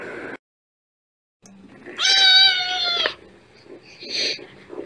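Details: A single kitten gives one loud, level, drawn-out meow lasting about a second after a brief silence, followed by a softer, hoarse cry.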